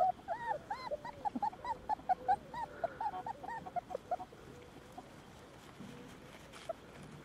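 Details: At the Domaine des Tourelles, Tresor the Border Collie meets the puppies: a rapid run of thin, rising-and-falling whimpers and squeals for about four seconds, then quieter background with a few faint whines.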